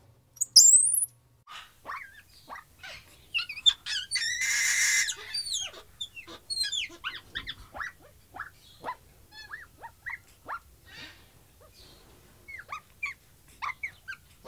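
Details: Capuchin monkey giving a busy run of short squeaks and chirps, many quick rising and falling notes, with a brief harsh burst near the middle and scattered clicks.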